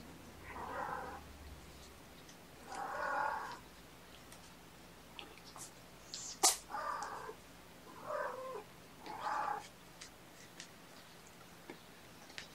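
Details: Gamora, a mother cat with five young kittens, calls for the babysitter on a June 2018 morning, giving a series of six or so drawn-out meows spaced one to two seconds apart, with a sharp click partway through.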